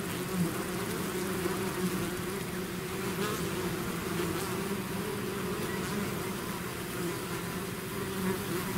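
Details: Continuous droning buzz from a bee swarm out of its hive, many insects blending into one steady low hum without pauses.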